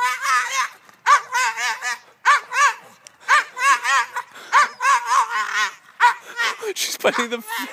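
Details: Maggie, a female Bulldog, protests being left at camp as her owners leave for vacation: wavering, yodel-like whining howls in short bursts, several per second-long phrase, repeated with brief pauses, and a short exclamation at the end.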